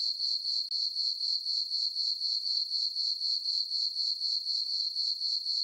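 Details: Crickets chirping on a peaceful summer night in a farm meadow under a full moon: a steady, high, ringing trill pulsing about four times a second, with no other sounds.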